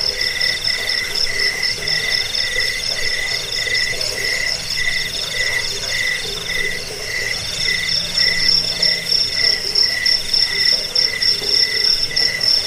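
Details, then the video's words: Several crickets, a recording meant to drive off rats, aid sleep and train cage birds, chirp together in layered high pulsed trills, one voice in short bursts and another ringing continuously above it. "Suara jangkik pengusir tikus pengantar tidur"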